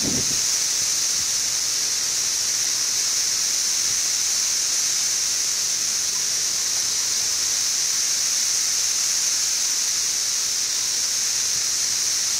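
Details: Seventeen-year periodical cicadas of Brood XIV chorus in Frankfort, Kentucky, in June 2008, weeks after emerging in late May: an even, sustained shrill buzz like static holds for the whole stretch, with a brief low knock at the start.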